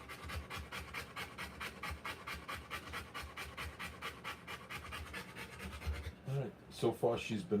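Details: Rottweiler panting hard while giving birth to puppies, fast even breathy huffs about two per second, with a human voice speaking briefly near the end.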